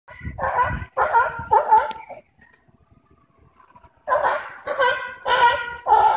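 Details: Sea lions at the Bronx Zoo, recorded live on September 5, 2014: loud harmonic honking barks in a run of three, a quiet pause, then four more barks in quick succession.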